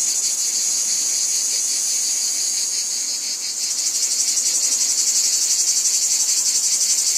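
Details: A chorus of cicadas in a wheat field fills the air with a steady, shrill buzz that partway through grows louder into a fast, rhythmic, throbbing pulse, with no other sounds standing out.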